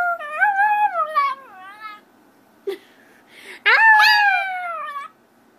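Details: Young puppy howling as it learns the sound: wavering, quavering tonal howls that rise and dip, then a louder howl that sweeps up sharply and slowly falls away, with a short click between.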